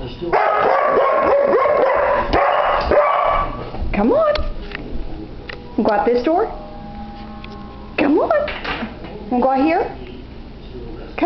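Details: Seven-year-old Irish Setter, indoors, torn between playing outside and getting shoes off, gives rising high whines in short bursts between loud human speech.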